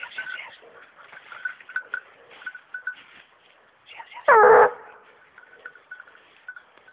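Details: Young female hunting dog on wild boar gives a single loud, short bark midway, set against a thin steady high tone and scattered rustling and clicks outdoors.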